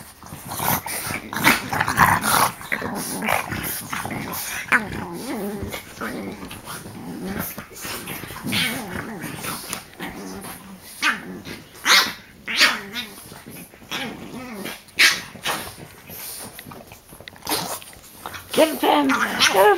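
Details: Frenchie pile-up of three dogs on one during play-biting; rumbling growls mixed with snorts and sharp huffs in uneven bursts, with people talking and laughing over it.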